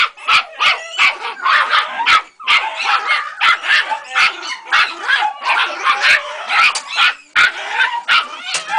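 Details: Frantic high-pitched yips from Ega, a Jagdterrier puppy aged three months, meeting a rat for the first time: an irregular stream of short, shrill barks with brief whimpering tones between them, continuing steadily for nearly nine seconds.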